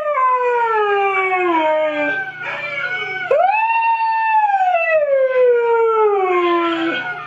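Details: Siberian Husky kept as a pet, howling along with a played recording of huskies: a falling howl, then a sudden upward swoop into a long, smooth, gently descending note lasting several seconds, with a low hum behind.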